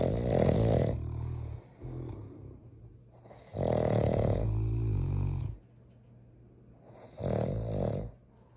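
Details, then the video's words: Two big dogs sleeping indoors, one a giant Mastiff named Bowser, snoring loudly: deep rumbling inhalations in long bursts about every three seconds, with quieter breaths between. "I have two snoring MONSTERS"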